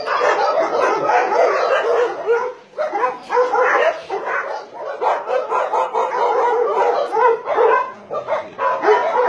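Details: Around 150 dogs, Dobermans, Shar-Peis, Chow Chows and Golden Retrievers, on a meat farm cum puppy mill in Nonsan, South Korea, January 2017, raise a loud, continuous barrage of overlapping barks and yips.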